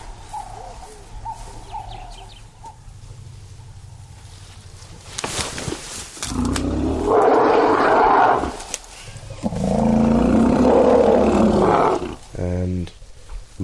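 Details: In dense mopane forest, a relaxed elephant herd feeds. A startled calf separated from its mother gives two long, loud, rough bellows, then a short pulsed rumble. The mother reportedly calls it and comforts it with a drink. Faint bird chirps come first.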